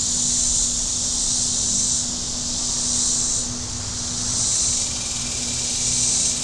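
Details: Shoreline cicadas at Table Rock Lake, southern Missouri, on a hot Saturday, their high sizzling chorus swelling and fading in slow waves roughly every two seconds, with a low steady boat engine hum underneath.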